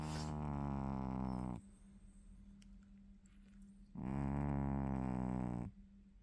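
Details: Sleeping dog snoring indoors: two long, buzzy, rasping snores of nearly two seconds each, separated by quiet breathing pauses, over a steady low electrical hum.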